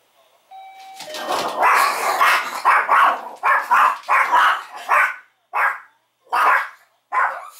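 A Chihuahua barks nonstop in shrill, high yaps that follow a doorbell chime.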